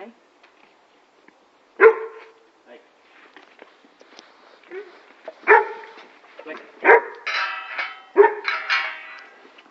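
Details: Male neutered Weimaraner named Blake, whose owners worried about him pulling on the leash and barking at other dogs; a few loud sharp barks spaced a second or more apart, with a person talking in Afrikaans and some rustling between them.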